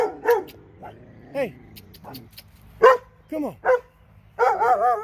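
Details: Irregular barking from two dogs in Alabama: short barks and higher bending yelps in a scattered sequence, ending in a longer wavering, howl-like burst.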